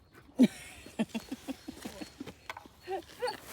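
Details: Snoopy, a long-haired chihuahua living in France, visiting the pet-friendly Château de Chenonceau, gives one loud sharp bark and then a string of shorter, softer yaps at uneven intervals. Faint outdoor background noise.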